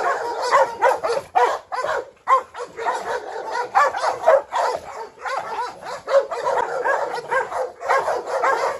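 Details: Brindle Presa Canario female, Rottweiler and Staffordshire quarrelling in a yard; dense, overlapping harsh barks with hardly a pause, loud and sustained.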